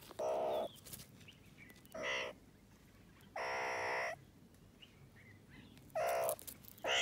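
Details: Playful meerkats enjoying the sunshine give harsh, raspy calls in short bursts, spaced one to two seconds apart.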